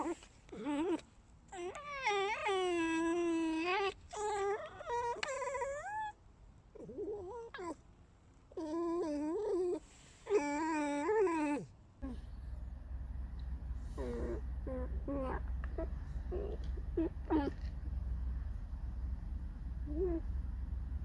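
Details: Pet fox squeaking: a run of high, wavering whines with rich overtones, some rising and falling, in bursts over about twelve seconds, then quieter scattered squeaks over a steady low hum.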